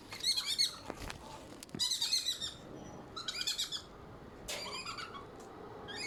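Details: Squirrel in Malaysia giving bursts of high, harsh chattering chirps, about five short clusters within six seconds, each a rapid run of scratchy notes separated by brief pauses, over faint background hiss.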